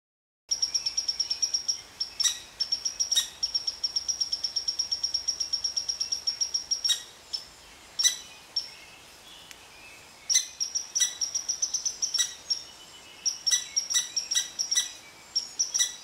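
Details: Red squirrel ranting at an Eastern Cottontail rabbit resting under its favorite tree; rapid series of sharp, high chirping notes in long trains, broken by brief pauses and a few louder clicks.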